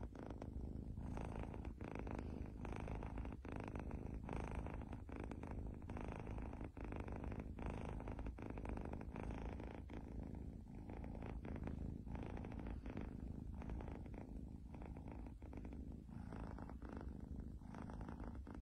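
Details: Domestic cat purring close up: a continuous low rumbling purr with steady rhythmic pulses that runs the whole time, with no other clear sounds.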